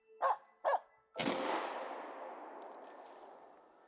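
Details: A Finnish Spitz hunting grouse in a forest on a cool day gives two sharp, high barks half a second apart, followed by a loud crack that echoes away, likely a gunshot.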